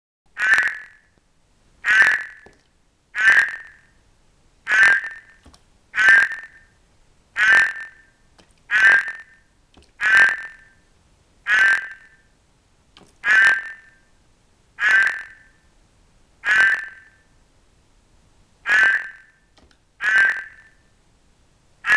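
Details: Several Ceratophrys horned frogs, including an albino Cranwell's horned frog keen on amplexus, with Ceratophrys aurita present; harsh buzzy croaks repeat about every one and a half seconds, fourteen in a row, over a quiet background.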